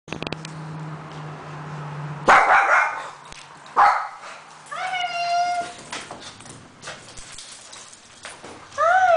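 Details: Two pet dogs, a papillon and a shih tzu, greet their owner, who surprises them by returning home from a trip. After a low hum, two sharp barks ring out, followed by rising, whistle-like whines and a final yelping whine.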